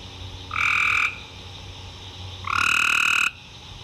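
Spring peepers give two clear, whistled peeps, the second longer and slightly rising, over a low steady background hum.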